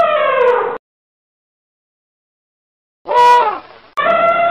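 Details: Elephant trumpeting in brassy, harmonic blasts. A short falling blast is followed by a long silence, then a brief rising-and-falling blare and the start of another steady trumpet. The cuts between the sounds are abrupt.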